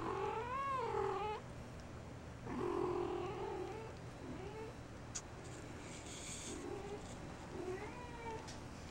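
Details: Persian kitten in a basket with another kitten nibbling at her ears, giving drawn-out, wavering mews with bending pitch, the first near one second long, more around three and eight seconds, with faint rustling between.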